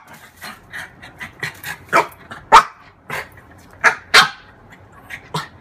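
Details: Female French bulldog at play with her own reflection in a mirror, giving a run of short, rough barks and yips, roughly one every half second, some louder and harsher than others.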